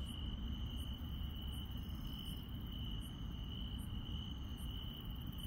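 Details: Night-time countryside insects keep up a continuous even high-pitched trill, overlaid by crisp high chirps repeating about every 0.7 seconds, with a steady deep rumble underneath.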